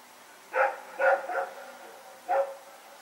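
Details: Night barking from Rex and another dog as they run about, September 21, 2018: three fast, harsh barks within a second, a short pause, then one more.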